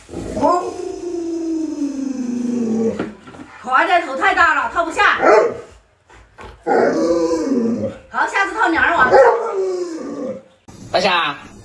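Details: Alaskan Malamute Luoluo, a pet dog at home, gives a long tonal howl that slides downward for about three seconds, followed by people talking and more short, wavering vocal sounds mixed with speech indoors.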